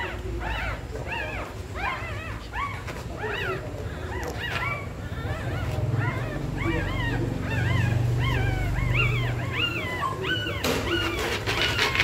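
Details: Pregnant dog in labour, scratching and nesting before giving birth, giving repeated high whimpers and whines, several per second, each a short rising-falling wail, over a steady low hum.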